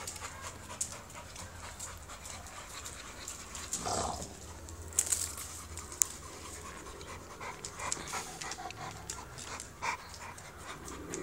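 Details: Soft, steady breathy panting of an American Bully, a UKC show-standard bully breed, low in level with scattered clicks and rustles and a brief louder sweep of noise near the start.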